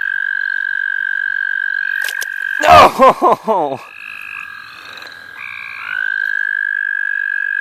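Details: Frogs in a chorus at St. Olaf College Natural Lands, heard while frogs are being caught: a sustained level trill runs throughout, with short higher notes. A burst of loud human voice interrupts briefly in the middle.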